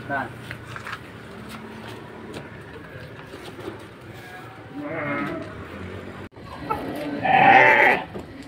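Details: Penned Petetan feeder sheep at Kepuh, Padalarang, West Bandung, Indonesia: speech and barn noise fill most of the recording, then one strong, quavering bleat near the end.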